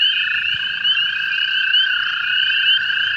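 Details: American toads, which breed in ditches, swamps and wetlands, calling by the hundreds in an early-spring overflow pond near a golf course at night: unbroken layered high trills, several callers overlapping at slightly different pitches, steady and loud.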